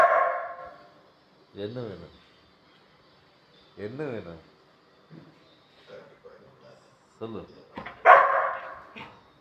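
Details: Labrador Retriever puppy giving two loud, arched, yelping barks about two seconds apart, with softer whimpering yips between and human voices at the start and end.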